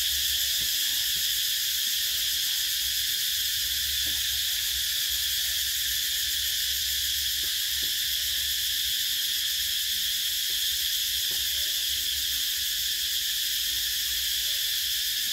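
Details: Cicadas chirping in summertime: a constant high, metallic buzzing wall of sound carries on without a break, with a few faint clicks scattered through the lower range.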